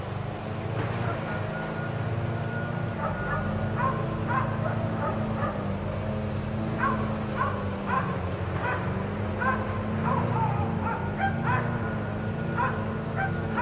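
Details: Four dogs left outside all day by neighbors, barking: short sharp barks come in an irregular run, roughly one every second, over a constant low engine-like hum.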